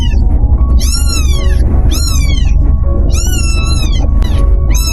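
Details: Tiny stray kitten meowing loudly at someone's feet, long bent, slightly wavering cries about once a second, over a heavy low rumble and faint music.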